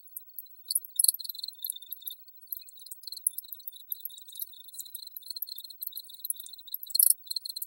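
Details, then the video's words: Dense high-pitched cricket chirping, fast ringing pulses with clustered bright bursts near the start and end, plus a single sharp click partway through. "Crickets Audio Sample"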